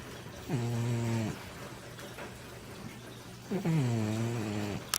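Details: A heavy female Manx cat called Baby, over 20 pounds, snores terribly in her sleep inside the house: two steady, low, droning snores, each about a second long, separated by a soft pause, with a click at the end.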